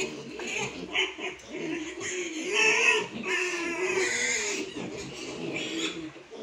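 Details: Landrace pigs at a pig farm in Morang, Nepal, giving continuous squealing and grunting calls, harsh and wavering, overlapping one another throughout, with background music faintly present.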